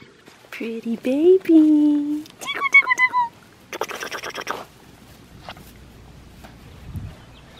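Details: Blue merle male Australian Shepherd puppy at an Oklahoma breeding farm, giving tonal whimpering cries: a rising whine that levels into a steady drawn-out note, then a run of short, higher yelping notes, followed by rustling and quiet.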